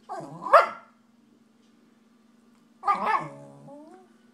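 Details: Shiba Inu named Nobu talking to his foster dad, giving two drawn-out, warbling yowls, the second trailing into a wavering rising whine, against a constant low household hum.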